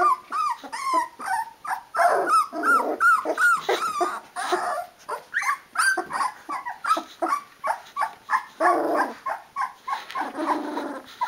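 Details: Several 16-day-old Rhodesian Ridgeback puppies from one litter cry for their mother to feed them, a busy overlapping chorus of short squeaky whimpers and yelps, some rougher grunting cries mixed in near the end.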